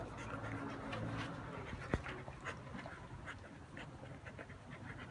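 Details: Happy dog panting softly in quick, uneven breaths, with faint huffs and one sharp click partway through, indoors with a low steady hum behind.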